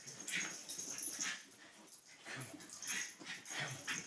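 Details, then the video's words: Dogs Poppie and Nellie playing: breathy, wheezing grunts and small whimpers come in clustered pulses, fading briefly around two seconds before picking up again in lively, uneven bursts. "Dogs at Play"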